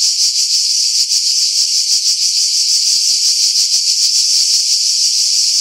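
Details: Cicadas singing in pine trees about 50 m above the sea at Pefkos Bay, Skiros Island, Greece, in July 2018; a dense, loud, hissing buzz with rapid rough pulsing, filtered to remove wind buffeting.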